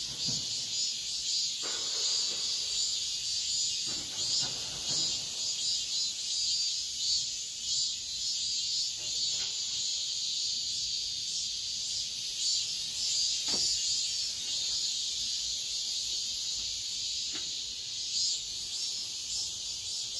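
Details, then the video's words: Cicada song at dawn in midsummer, a steady high-pitched buzzing chorus held throughout, broken by a few faint clicks and knocks in the background. "새벽매미소리를 들어보자"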